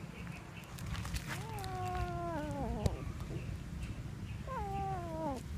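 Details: Kitten that has caught a little mouse gives a drawn-out, wavering, descending yowl, then a second shorter falling yowl, with clicks and steady low background rumble.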